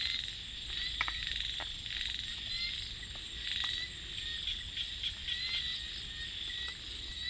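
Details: Rice-field frogs after dark produce scattered rattling pulse trains and short croaks, some louder bursts near the start, while a dense, unbroken high insect buzz fills the background.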